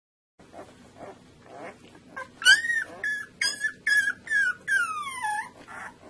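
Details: Two-week-old Saluki puppies from a litter squeal and whimper; after quiet shuffling, a run of high, bending cries starts, some sliding upward, others falling in long whines, rising in loudness toward the end.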